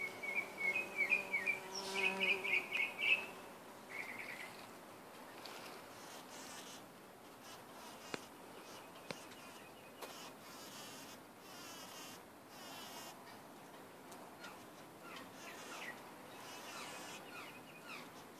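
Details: Bumblebee drinking ginger nectar gives a low, steady droning buzz rich in overtones, alongside quick high chirps, for the first few seconds; then the buzz fades, leaving faint rustling background hiss.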